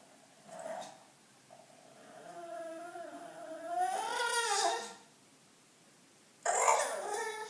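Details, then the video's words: Attention-seeking bulldog in a small room, producing a short whimper, then a long, wavering whine that climbs and bends in pitch, followed after a gap by a sharper, harsher vocal burst. "Bulldog making sounds"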